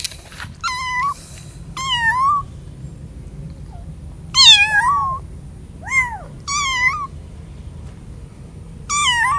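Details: A kitten, away from its mother for the first time and fearful in a strange place, gives high, rising-then-falling meows with rich harmonics every second or two.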